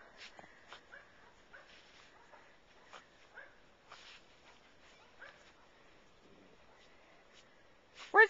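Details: Pet dog excitedly chasing a squirrel that leapt from a bird feeder to a tree. High, thin whining whimpers come in short bursts, ending with a sharp, loud yelp. A person's voice keeps urging it to find the squirrel.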